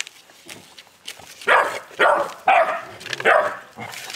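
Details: An 11-week-old Boerboel puppy in an angry mood; quiet scuffling at first, then four loud coarse barks spaced about half a second apart.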